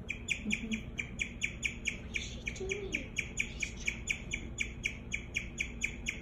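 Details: Daisy, a pet guinea pig, keeps up a rapid run of clear, high, bird-like chirps, each a short tweet repeated about twice a second. A faint voice murmurs in the background.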